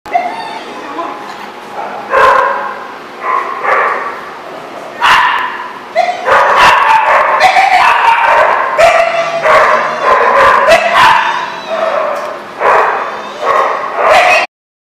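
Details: Dogs at a kennel or dog daycare in Rhode Island, recorded 17 February 2014, barking and yipping almost continuously, many overlapping voices at varied pitches with some whimpers, and a person speaking now and then in the background.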